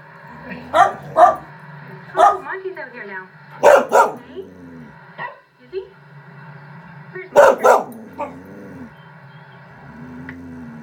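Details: A Norwegian Elkhound reacting to other elkhounds shown on a screen barks in short clusters of two or three sharp, loud barks, pausing between bursts, while a constant low hum and faint screen sounds continue behind.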